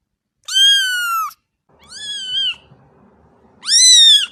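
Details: Domestic kitten playing with its mother, giving three loud, drawn-out high meows, the last rising sharply before levelling off; faint low rustling and handling noise between calls.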